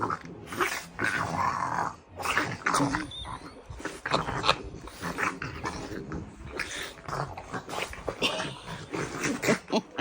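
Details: French Bulldogs wrestling in play, making funny noises: continuous snorting, grunting and rough growls in rapid irregular bursts, with brief human speech.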